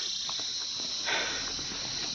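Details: A dense insect chorus on a forested mountain road near Gangtok, Sikkim, rings as one unbroken, high, shrill hum that barely changes in pitch or loudness, with soft footsteps and a brief rustle of someone walking uphill underneath.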